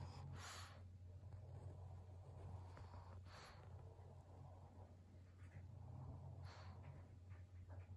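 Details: Maria, a 12-year-old fawn female senior pug kept as a pet in Japan, recorded indoors on 12 November 2022. Three short breathy snorts come about three seconds apart over a steady low hum in a quiet room.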